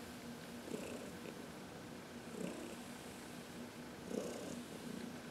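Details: Purring of Heidi, a 14-year-old former shelter cat from the Humane Society of New York City, relaxed under a sunny massage on March 19, 2021; gentle low rumbles rise and fade roughly every two seconds.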